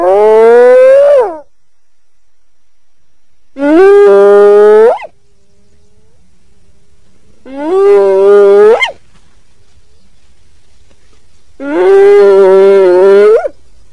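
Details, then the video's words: Hyena whooping: four loud, rich moaning calls, each rising at the end and lasting over a second, repeated about every four seconds with quiet gaps between. "Ternyata Seperti ini Suara HYENA"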